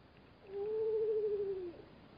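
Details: Black-backed jackal at a Namib desert waterhole, disturbed by bat-eared foxes drinking there; one drawn-out tonal whine lasting over a second, steady in pitch and then dipping slightly at the end, over a soft background hiss.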